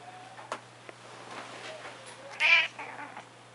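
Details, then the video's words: Pet cat indoors making its strange barking sound: a single short, harsh, loud burst about midway, preceded by faint rustles and soft taps. "the cat making his strange barking sounds"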